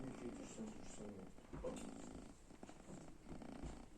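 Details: Sleeping kitten lying in front of the oven gives a continuous low, throaty snoring rumble in even breaths, with light background rustling.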